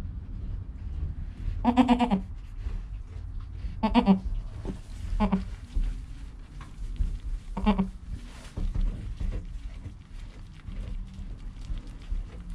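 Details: Joel, a newborn goat kid within an hour of birth, beside his calm mother Penny, recorded on a GoPro: four clear, harmonically rich bleats, spaced about two seconds apart, over low rumbling background noise.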